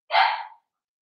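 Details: Five-week-old Cavalier King Charles Spaniel puppy in Daisy's puppy pen giving one brief, harsh, high yip that fades quickly into silence.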